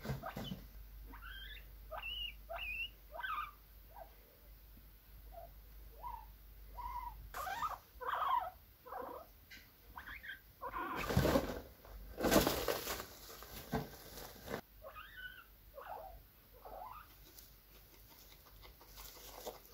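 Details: Guinea pigs producing clusters of brief, rising squeaks early and late in the recording, with a stretch of loud rustling and handling noise in the middle that drowns them out.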